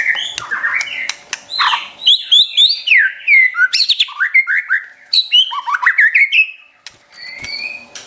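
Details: White-rumped shama, a caged pet, in a training song to provoke other shamas: long rush of loud downslurred and upslurred whistles and sharp chips lasting about six seconds, then quieter scattered notes and a final whistle.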